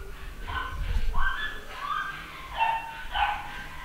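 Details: A 9-week-old male pedigree Papillon puppy, home bred, gives five short high-pitched yaps spaced about half a second apart over a low background rumble.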